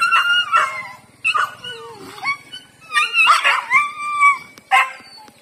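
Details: Big street dog pestering a female house dog that does not like him; loud, high whining yelps and drawn-out howl-like whimpers that rise and fall, in quick bursts about every half second with short pauses between.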